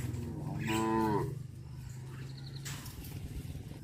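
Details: Cattle on a traditional village farm going out to graze; one short, slightly falling harmonic moo lasting about half a second, followed by low engine-like rumble and scattered clatter.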